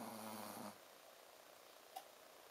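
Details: Ponzu, a sleeping Shih Tzu, lets out a single short nasal snore with a buzzing harmonic tone at the very start, then falls quiet. Faint room hiss and one small click follow.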